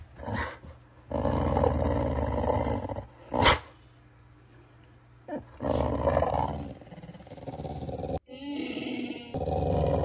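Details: A pet dog named Beau voices his "let's get going" sound, likened to Chewbacca: drawn-out low, rough growling bursts of a second or two, broken by brief sharp knocks and quiet gaps.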